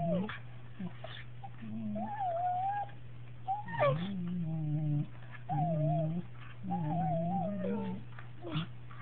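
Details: Two Cocker Spaniels, aged 2 years and 8 months, kiss with soft, wavering, high-pitched whining tones where their mouths touch, over a steady low electrical hum.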